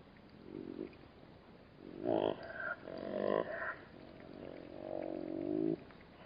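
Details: Black-backed jackals at a waterhole in the Namib desert, growling while bat-eared foxes drink: a series of low, wavering, strained growls and whines, rising in intensity then drawn out, with faint background hiss.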